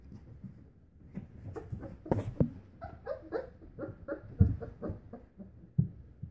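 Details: 30-day-old English Springer Spaniel puppies give soft whimpers, squeaks and little yips while playing.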